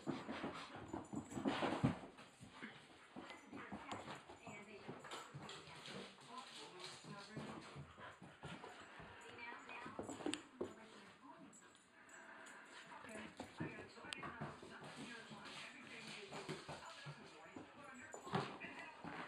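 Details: A female Rottweiler, hyper for the second time and now at night, whimpers and yips in short, high, whiny bursts while a person talks nearby.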